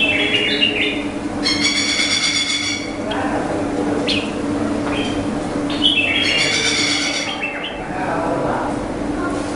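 Indian flying foxes give harsh, strained squawks with a rasping edge over a steady low hum.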